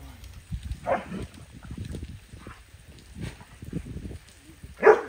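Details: Large dogs outdoors on a hot summer day during an outdoor grooming and bath session: two loud, short barks, one near the start and one at the end, with people talking and handling noise in between.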